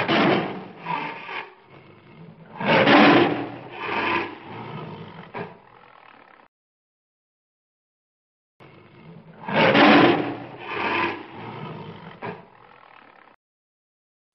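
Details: A white tiger at a zoo gives a harsh, rasping roar twice, with a brief silence between the bursts.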